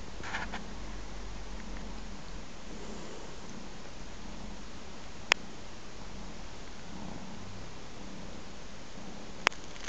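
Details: Three-month-old ginger kitten nursing from its mother cat indoors, a steady low rumbling purr pulsing softly throughout, with two sharp clicks partway through.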